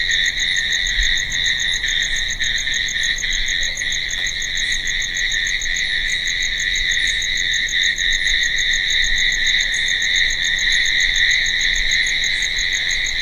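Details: Night-time cricket chorus with a constant high-pitched shrilling and a rapid pulsed chirp repeating evenly about three times a second above it, steady from start to finish.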